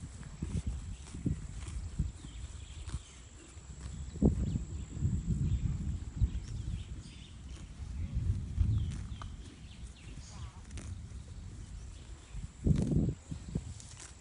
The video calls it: If you haven't heard the sound of a grazing horse it's so cute!